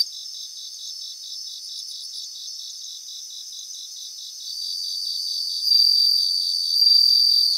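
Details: In a Japanese grassland, an even, rapid pulsed chirping of insects fills the first half. Louder, clear ringing trills of bell crickets then rise in over the last three seconds.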